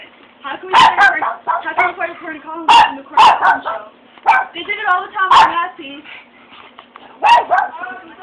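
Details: Japanese Chin dog reacting after hearing fireworks, giving sharp, short barks and yips in irregular bursts, some rising whines between, with a person talking to the dog alongside.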